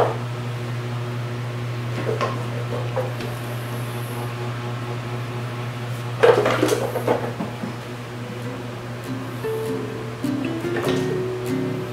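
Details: Steady low indoor hum under quiet music, with clattering dishes and cupboard knocks around the middle and near the end.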